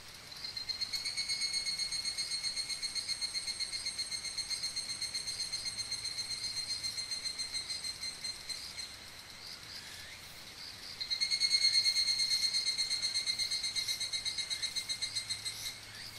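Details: Ringing, tinkling song of higurashi cicadas in Okumikawa, Japan: one steady pulsed trill for about eight seconds, a brief lull, then a second, louder cicada starting up with the same rapid metallic pulsing.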